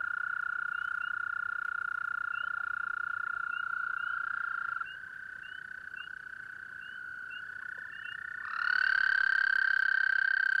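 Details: Several toads call at night at a pond during mating season. A continuous high, buzzing trill runs throughout and turns quieter midway. Near the end a louder, closer trill begins. Other toads' fainter trills overlap in the background.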